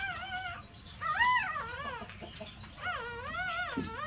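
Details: Newborn pups dozing let out three wavering whimpers, each a high squeal that swoops up and down in pitch, separated by short quiet gaps.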